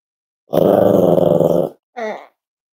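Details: Cavalier King Charles Spaniel puppy, five weeks old, Myra and Remy's litter at Red Barn Cavaliers, indoors during weight checks: a sustained gravelly growl of just over a second, then a short, higher, squeaky grunt.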